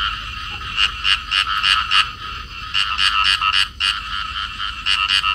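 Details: In Cầu Kè, Vietnam, a pair of rice field frogs clasped together in amplexus give rapid, raspy croaks, several notes each second in uneven bursts.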